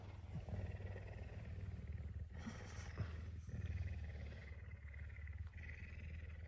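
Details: Messi, a pet puma, hungry and eager for breakfast early on a Tuesday morning, unusually affectionate. A steady, deep throaty rumble pulses rapidly, about four beats a second, with faint soft background noise and no voices.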